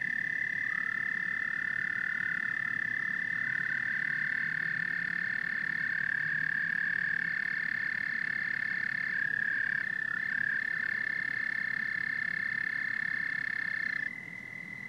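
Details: Frogs and toads in a dense chorus: a steady, high, ringing trill holds without a break, overlapping callers slide in and out of it, and a low murmur of croaking runs underneath until the volume drops near the end.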